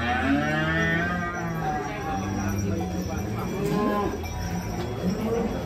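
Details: Giant contest cattle being unloaded from a truck, one giving a low, sustained harmonic moo, with background music and distant voices throughout.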